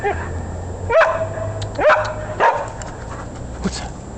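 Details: Kirby, a dog in Chicago on his daily walk, chasing a squirrel: three sharp, loud barks within two seconds, then a fainter fourth, over low steady street hum.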